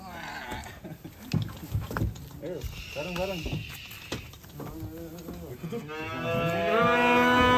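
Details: Cattle being unloaded from a truck: after scattered voices and clatter, one long, drawn-out low moo swells and holds for nearly two seconds at the end.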